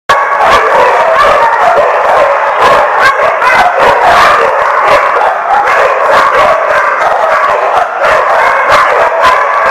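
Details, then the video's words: Many dogs barking at once, recorded on 20 March 2015: a dense, loud, unbroken wall of overlapping barks and yips with sharp individual barks punching through every fraction of a second. "The Barking Lot"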